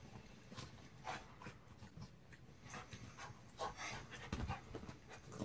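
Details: Panting from Jack, a mutt: soft, noisy huffs in irregular runs, a few louder breaths standing out near the middle and end.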